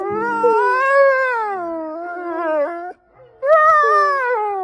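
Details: Wolf howling: a long, smooth tonal howl that rises gently, holds, then slides downward and breaks off, followed after a short pause by a second howl beginning higher and falling.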